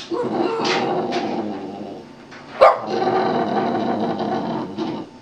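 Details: Pet Boston Terrier singing during a trick routine for a treat, giving long, steady, grumbling howl-like tones broken by one sharp yelp midway.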